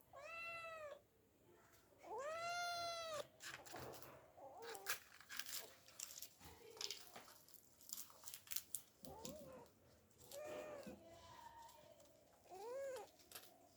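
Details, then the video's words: Domestic cat meowing, said to be stuck up a tree and trying to get down; several drawn-out, arching meows, two loud ones early and shorter ones later, with scattered knocks and scraping between calls. "cat moewing funny cat sounds"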